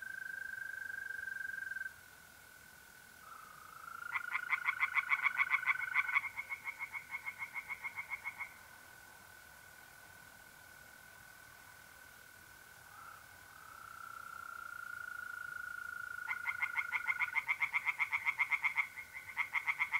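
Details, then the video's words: Night chorus of tree frogs in an Italian pond in mid-April, north-east Italy: bursts of fast rattling croaks separated by pauses, with the continuous pure trill of mole crickets running through the background. "relaxing singing tree frogs in pond and trilling mole crickets by night"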